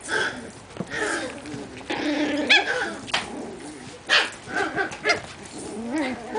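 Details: Miniature pinscher puppies from five litters playing together in Otego, New York: scattered high yappy barks and whines overlapping in a busy jumble, with a woman speaking softly in between.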